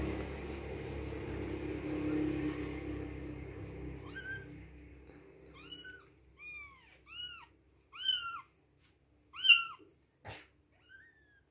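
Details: Two-week-old baby kittens at milk time, mewing in a run of about seven high, arched, thin cries spaced roughly a second apart, after several seconds of low indoor rumbling and shuffling.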